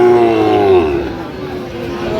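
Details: A Sahiwal bull calf at a cattle market where a Jamalpur farmer was buying on 31 August 2025. It gives one short, loud moo that slides gently downward and fades, with faint crowd murmur behind it.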